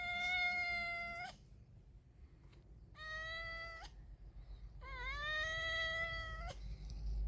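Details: Three long, loud meows in a row, each over a second, the last dipping then rising in pitch, from a male cat mating with a pregnant female cat; low rumbling in the background.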